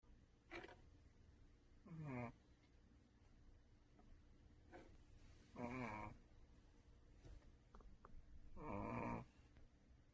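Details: Duhee, the second of a household's four pet dogs, snoring while asleep indoors: four harsh, buzzy rasping snores arrive roughly every three seconds, each about half a second long, with quiet breathing between them in a small room.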